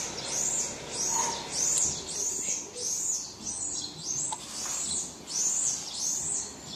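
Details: Baby marmoset crying for its mother: high, thin arched squeals repeated roughly every two thirds of a second, each rising then falling, with a faint low background murmur.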